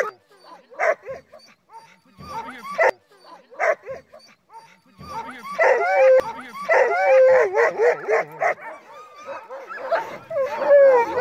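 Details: Crossbred husky mixes hitched to a sled on a snowy night, giving sparse, irregular yips and short whines that thicken into a busier chorus of barks and rising whines after a few seconds.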